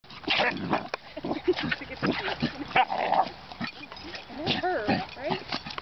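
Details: Pet dog making ferocious-sounding noises during play: irregular rough, growly grunts and snarls in short bursts, some with rising and falling whine-like tones near the end, mixed with a person talking throughout.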